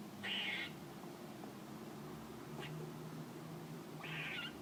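A squirrel gives two short, high, squeaky calls a few seconds apart.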